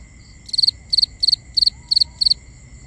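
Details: Binaural nighttime recording of a cricket: six evenly spaced high chirps, each a quick triple pulse, repeated roughly every third of a second against a faint, constant high insect drone.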